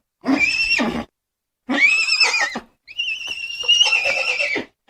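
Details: Horse neighing three times in close succession: high, vibrating whinnies, the last one longer and steadier, with brief silences between calls.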